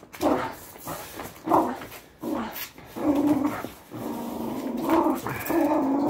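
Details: Playing tug of war as training, a Patterdale Terrier growls in short throaty bursts that run into a long sustained rumbling growl, strained and uneven.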